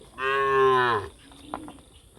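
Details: Cows gathering together: one loud, drawn-out harmonic moo lasting under a second, steady then dropping at the end, followed by quiet rustling and faint background sounds.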